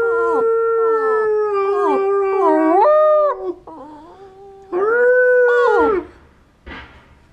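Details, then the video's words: Border terrier singing: sustained tonal howls with strong harmonics, short repeated notes stepping in pitch, then a loud drawn-out howl rising and falling, ending with a brief softer yelp. "the border terrier sings"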